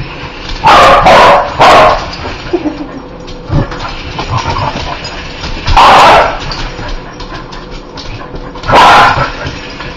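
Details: Spider-hating dog barking in bursts: a rapid triple of harsh barks at the start, then single loud barks spaced a few seconds apart, with small thumps and rustles in between.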